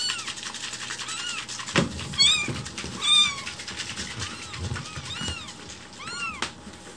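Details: Week-old rescued kittens in foster care indoors, umbilical cord attached. Thin arched meows repeat irregularly amid steady background hiss and low handling thumps.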